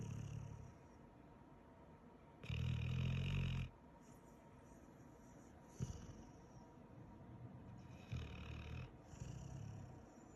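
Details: Pit Bull snoring while asleep after a long day; a loud low rumbling snore around three seconds in, then softer, shorter snorts and breaths later.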